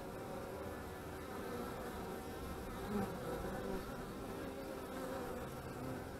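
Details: Beekeeping visit to honey bee hives, 25 March 2015. Continuous low buzzing hum of many bees, evenly sustained, with a small louder swell near three seconds as a bee passes close.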